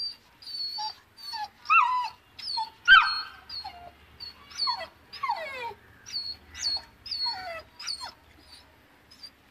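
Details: Frightened of the stairs, a Saint Bernard puppy of two months whimpers in thin, high whistling cries and descending whines, spaced about a second apart, softly and steadily through the recording.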